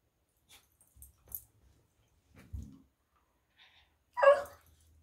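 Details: A frustrated Basenji gives one short, rough bark after a few faint soft noises in a quiet room.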